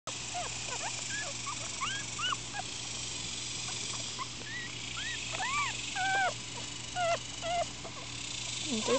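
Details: Four-day-old Miniature Schnauzer puppies, upset and squirming, give faint scattered high whimpering cries, short rising-falling squeaks spread across the litter, over a steady low hum.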